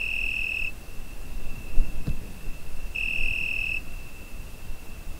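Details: Cricket on a summer night, recorded on a Zoom H5: a steady high, pure-toned trill runs throughout, swelling into louder bursts of under a second about every three seconds, with a soft low thud near the middle.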